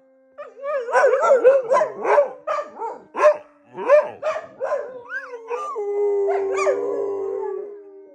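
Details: Dogs at bedtime produce a rapid series of yipping, barking howls, about a dozen bursts, that settle into a long sustained howl with a final upward yelp.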